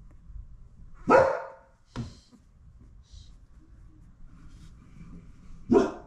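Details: Mother Labradoodle with her newborn puppies indoors, licking and cleaning them; a few short loud barks about a second apart, then a single bark near the end, with quiet rustling between.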